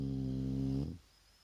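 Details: Resting Shar Pei Vaya during a daytime nap: a single low, steady, humming snore just under a second long, fading into quiet.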